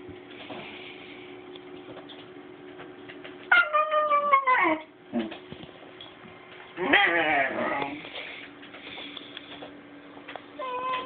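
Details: Basenji puppy named Banksy, a breed that rarely barks, indoors making strange drawn-out yodelling cries with a falling then wavering pitch, two main bursts, over a steady room hum.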